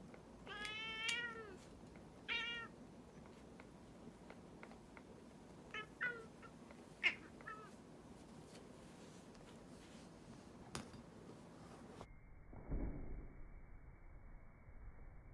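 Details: Indoor pet cat complaining while its claws are being clipped: several loud, wavering meows in the opening seconds, then shorter, softer mews spaced apart, with faint handling noise between calls before the sound cuts off.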